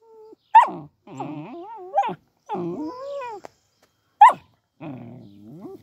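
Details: Puppies behind a fence make short sharp yelps mixed with drawn-out whining, wavering whimpers, in separate bursts about every second, with quiet gaps between them.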